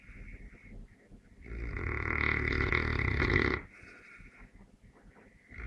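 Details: Neapolitan Mastiff (Mastino) asleep and snoring: a loud rasping, rumbling snore lasting about two seconds, broadband from low rumble to hissy highs, set between quieter breathing sounds.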